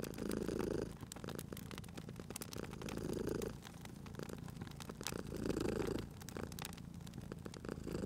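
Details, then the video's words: Purr of a sleeping cat at a crackling fireplace: three long, swelling rumbles, each a couple of seconds, separated by quieter breaths, while the fire pops and hisses continuously. "Cute Purring Cat at a Crackling Fireplace"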